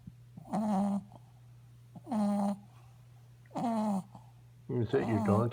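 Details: A sleeping dog snorts and snores with droning, slightly pitched breaths about every one and a half seconds. The last breath is rougher and more broken, and a low steady hum runs underneath.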